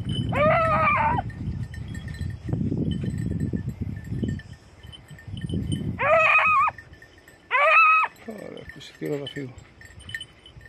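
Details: Red and blue tick and lemon-white beagles on hare hunting practice in Crete in 2022 give loud, ringing, wavering bays in three bursts of about a second each. Heavy low rumble, thin steady high tones and a faint shorter yelp follow.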